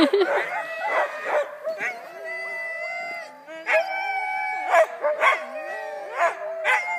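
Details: Group of huskies getting ready for mushing at a sled-dog company in Wardsboro, Vermont: many dogs howling and yipping together in overlapping, wavering tones, with sharp barks breaking through.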